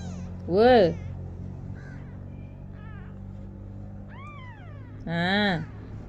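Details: Kitten trying to walk, giving loud harmonic meows near the start and end with a few fainter rising-falling mews between; low hum and a person talking nearby.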